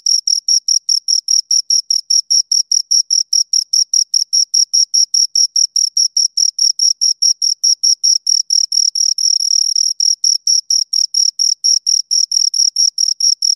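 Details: A high, rhythmic chirping from two crickets stridulating: fast regular pulses throughout, briefly blending into a continuous trill partway through, then resuming the even beat; a quiet background.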